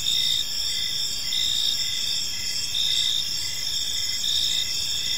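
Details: High, ringing cricket trills fill a tranquil evening park, several insects chirping together in layered bands with pulses around once a second and only faint low background noise.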